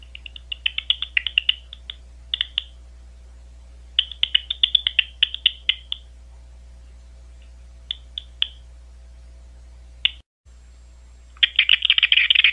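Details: Big brown bat, Ohio State University: uneven groups of quick clicking chirps, then a short dropout, ending in a dense, buzzing rattle of very rapid calls; faint steady hum underneath.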